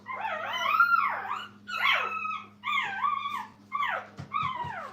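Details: Young dog puppies in a kennel litter while their mother, Minnie, takes a break: four drawn-out, arching whines that rise then fall, each about a second long with bright overtones, separated by short gaps over a steady low electrical hum.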